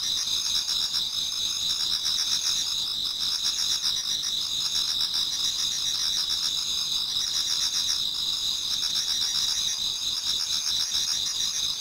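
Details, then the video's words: Autumn insect chorus in a Japanese garden near dawn, many singers together; unbroken shrill trills stacked at several high pitches, with a rapid pulsed chirping that swells and fades every few seconds. "Autumn Insects voice Towards dawn"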